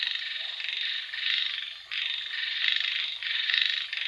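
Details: A rain-time frog chorus of grating, buzzing croaks. Several long bursts run together, broken by a brief dip near the middle before the massed calling resumes.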